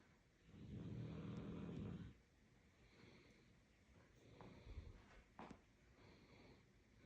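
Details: Sleeping dog snoring: one long, low, rasping snore lasting about a second and a half, followed by a quieter low rumble with a few faint clicks and taps.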